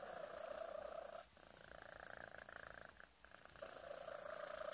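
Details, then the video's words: Young male cat, five months old, enjoying a tummy tickle: fast rhythmic purring with a sustained whistling tone laid over it at the start and end, fading briefly twice in between. "whistle purr"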